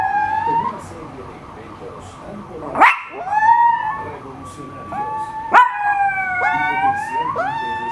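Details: Male Miniature Pinscher on its owner's bed, howling in response to a car alarm: long, wavering tonal howls that rise and fall, broken by two sharp clicks and followed by stacked, bending howl notes.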